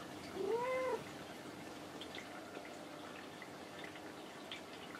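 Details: Kinako, a domestic cat that replies when talked to, gives one short, soft, rising-falling meow near the start, followed by a quiet room with faint background ticks.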